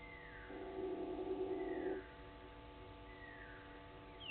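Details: A side-striped jackal (Lupulella adusta) gives a low, steady, owl-like hoot lasting over a second, at 05:06 at a waterhole on Djuma Game Reserve, Sabi Sand Wildtuin, South Africa.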